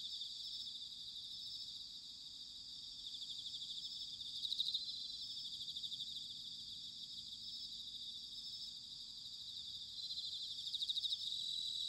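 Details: Autumn chorus of bell crickets in Sanuki, Chiba, Japan: a dense, steady wash of high pulsed ringing from many insects, quieter and more distant, over a faint low rumble of background noise.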